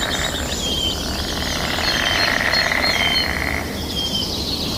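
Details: Frogs croaking in a rapid, churring chorus during their mating season, the pulsing buzz strengthening near the middle, with short high bird whistles repeating overhead and a soft wash of nature sounds.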